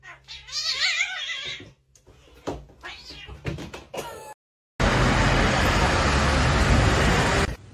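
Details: Domestic cat giving a drawn-out, wavering meow with rising and falling tones in the first seconds, then people shouting and speaking, followed by a long burst of loud rushing noise.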